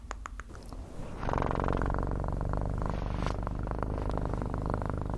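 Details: Cat purring close to the microphone: after a second of soft clicks, a steady deep pulsing rumble begins and continues evenly to the end, with faint crackles on top.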